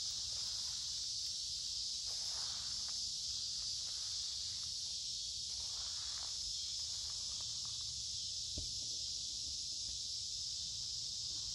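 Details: Cicadas drone loudly in creekside woodland during a humid midsummer day. The high, sizzling buzz stays steady for the whole stretch while footsteps crunch and leaves rustle underneath, with one sharp knock late on.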